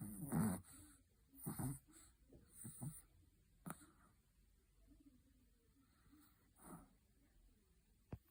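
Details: Chihuahua asleep, giving softer, wheezy, irregular snorts and breathy rasps, loudest at first and then fading into quiet nasal breathing, with one sharp click near the end.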